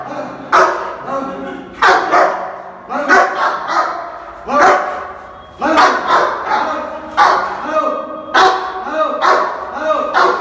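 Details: Angry Rottweiler in Bihar, India, protecting its owner, barking loudly in rough bursts, most about one to one and a half seconds apart, across the whole clip.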